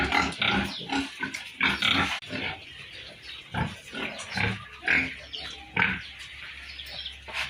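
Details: Piglets on a farm making separate short bursts of grunts and squeaky squeals, spaced by quieter gaps, with a low steady hum behind.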